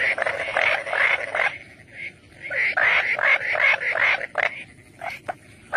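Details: Frogs croaking in a busy chorus, with overlapping pulsed, raspy calls repeated in quick bursts over a noisy background.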